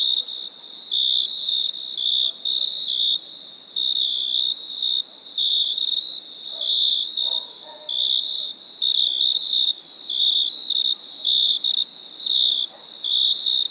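Crickets chirp steadily in high, pulsing bursts, several per second, in rapid repeated groups.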